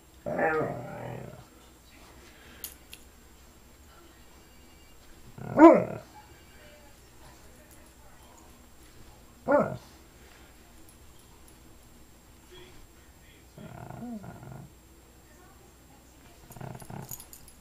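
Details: Alaskan Malamute vocalizing because it wants to be petted. Several short, moaning, harmonic bursts come a few seconds apart, some bending up and down in pitch, with quiet gaps between.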